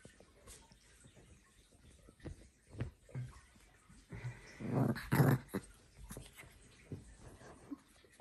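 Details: Ulf, a fluffy Pomeranian Chihuahua mix that loves to cuddle, gives a low, rough, grumbling growl lasting about a second midway, among scattered soft thumps and handling noises indoors.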